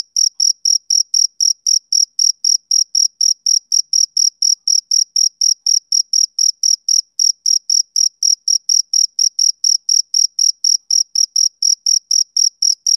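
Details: Steady chirping of a male cricket on a summer evening: rapid, piercing high pulses at a constant rhythm of about four per second, unchanging in pitch, in otherwise silent surroundings.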